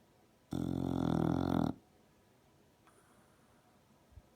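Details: Female English Bulldog asleep with her lip vibrating: one loud, rough, buzzing snore lasting just over a second, followed by near silence and a faint soft click.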